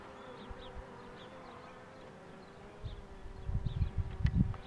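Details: Honey bees humming as a queen box is pulled: a steady low drone holds throughout, with soft bird chirps early on and heavier handling thumps and rumble in the final second and a half.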